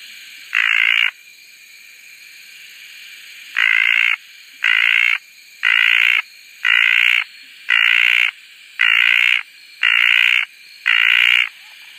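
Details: Red tree frog, also called desert tree frog, recorded at Koah, makes loud buzzy, droning calls about half a second long. One call is followed by a pause, then eight more about once a second, over a quiet background.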